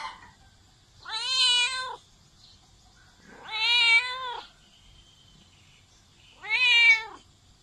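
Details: Three loud, insistent cat meows, each lasting about a second, with a steady wailing tone that bends slightly downward at the end; quiet room between calls.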